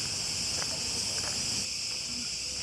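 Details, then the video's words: Cicadas in the municipal park of Rethymno, Crete, fill the air with a steady, high, sizzling buzz, their mating call, on a hot Sunday morning. "Vous entendez les cigales."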